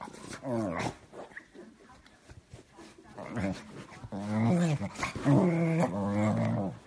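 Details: Beagle puppy making low, grumbling growls and wavering moans, two shorter bursts, then a longer, undulating growl-whine toward the end, with soft background noise between.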